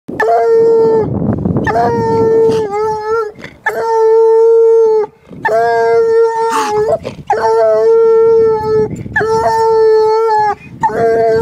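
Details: One-year-old female Walker hound baying at a caged raccoon, only her second time seeing one: long, steady, ringing bawls about a second each, repeated with brief breaks and occasional choppy yelps, plus rustling noise.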